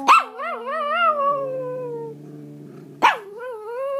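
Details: A Pomeranian from India howls in a singing way. A sharp onset leads into a wobbling, gradually falling wail that fades out, and a second rising howl follows. Low steady humming tones sound in the pause.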